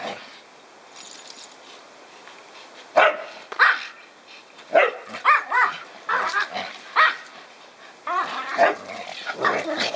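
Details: Kai Ken Koharu, ganged up on by another Kai Ken, Kotetsu, and a Pomeranian, Taiga, in rough play. Sharp, harmonic barks and growly yaps come in irregular bursts, clustering after three seconds and continuing to the end.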